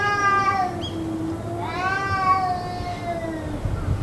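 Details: Cat caterwauling in what may be a fight, part of two hours of continuous calling: long, wavering moaning wails that slide slowly up and down, with low rumbling noise beneath.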